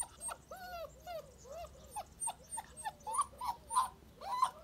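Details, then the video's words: An active black puppy whimpering in a series of high, whined squeaks that rise and fall, about one and a half per second, some sharper yelps near the end, with faint background hiss. "صوت جرو أسود نشيط"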